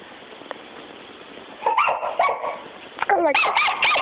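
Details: After a quiet start, a female puppy bursts into a run of high yapping barks and a brief whining note.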